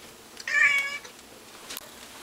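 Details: Mr Mittens, a pet cat, cries out at a stray cat skulking in the bushes outside: a single short, strained, harmonic meow lasting about half a second, followed by faint clicks and a quiet room.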